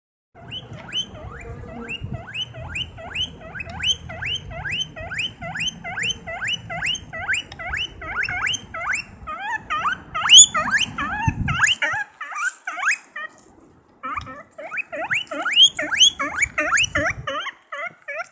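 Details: A guinea pig running around gives loud, rapid, high-pitched squeaks in long repeated series.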